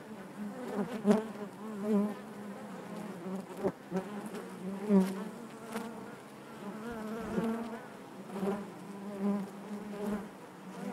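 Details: Continuous low buzzing of honey bees within their hive, the drone rising and falling in small irregular swells, with faint tapping sounds now and then.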